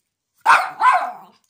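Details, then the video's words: Pomeranian cross dog, questioned about its toy, replies with a drawn-out two-part moaning howl that sounds like "no", rising then falling, followed by silence and a person saying okay. "Talking dog. Walter says "no"."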